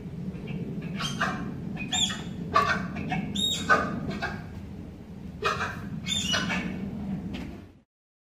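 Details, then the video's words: Courting tapirs Yuna and Baku at Point Defiance Zoo & Aquarium in February give clustered high, thin squeals and chirps, some broken and harsh, spaced irregularly over a low humming background that fades out at the end. "What tapir love sounds like..."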